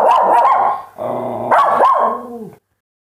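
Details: Dogs barking in a continuous loud volley, rough harsh barks running together with a brief dip near the middle, then a second burst that fades out before a short silence.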